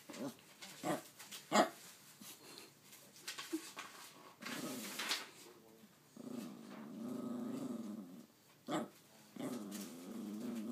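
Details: Pet dog indoors, described as talking and trying to tell its owner something; sustained low growls and grumbling vocalisations rise and fall, broken by a few sharp clicks or knocks, in a small room.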